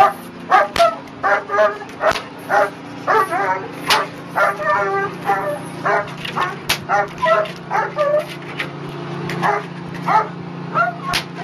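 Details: German Shepherd named Chriss, trained in protection, obedience and narcotics, in protection work on a tug boat: a steady run of sharp, harmonic barks, roughly two per second, over a low constant engine hum.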